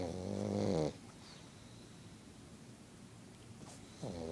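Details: Sleeping pet pug that does not want to wake up snores indoors: a loud, rough, buzzing snore at the start, then quiet breathing, and a second snore beginning about three seconds later.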